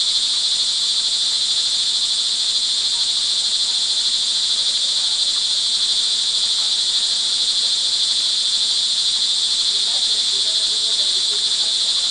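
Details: Crickets calling in the rain in early evening on June 24, 2011, in Montalban, Rizal, Philippines; a dense, continuous high trilling chorus with no breaks, steady in loudness throughout.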